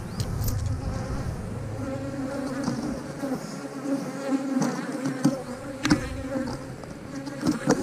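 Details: Honey bees in a thriving 8-frame hive drone steadily as frames of honey and nectar are inspected without smoke. Layered buzzing hum, a brief rumble at the start, and scattered sharp taps and clicks.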